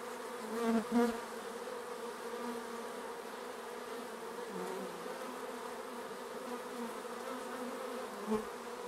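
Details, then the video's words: Honeybees flying around the hive, a dense steady droning buzz of many insects with layered tones, a couple of louder passes close by near the start and another near the end. "Bees around the hive"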